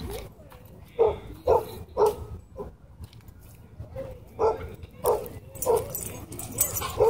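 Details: Dogs at a dog park where a small white dog attacks and bites a German Shepherd; a run of sharp, mid-pitched barks, two or three quick ones, a pause, then several more, over murmuring people and background noise.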